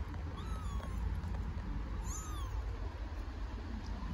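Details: Homeless kitten on an Istanbul street calls its mother with two short, high, thin mews about a second and a half apart, each arching up and down, against constant low background rumble.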